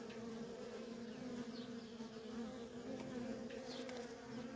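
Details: Feral honey bee colony with nonstop worker traffic: a low, level buzzing drone, steady throughout, with faint passing whirs of single bees.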